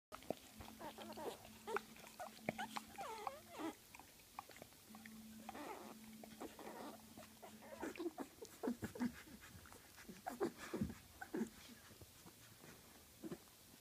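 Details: Puppies of the dog Gryzia, about two weeks old, indoors, giving drawn-out whining whimpers with a steady tone in two long runs, then scattered short squeaks and rustling.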